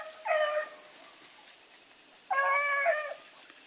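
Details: Blueticks running with Sassy: two separate hound bays about two seconds apart, each a short wavering howl with rich overtones, against a quiet hissing background.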